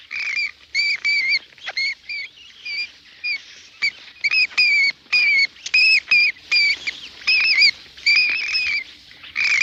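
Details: Indian flying fox (Pteropus medius), a giant fruit bat hanging in the tree canopy: a steady stream of sharp, squealing chatter with bent, wavering notes, repeated in short bursts about twice a second, several animals overlapping.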